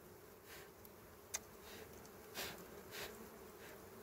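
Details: Small honey bees at a wild nest in dry berry twigs give a continuous low hum, broken by a sharp click and a few brief rushing swells.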